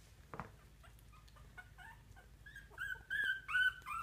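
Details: Poodle puppies only two weeks old, taking early steps toward mama, whine in high, tonal whimpers that start faint and grow louder and longer, ending in several strained, wavering cries; a brief thump opens the moment.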